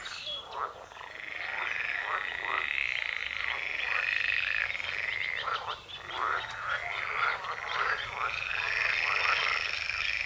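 A dense morning chorus of edible frogs, full of overlapping rattling, quacking croaks.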